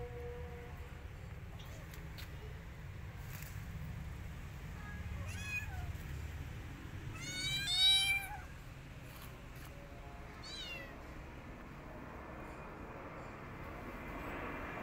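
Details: Rescued kittens hiding inside a jacket give a few high, thin meows, each a short arched cry, the loudest near the middle, over a low steady background hum.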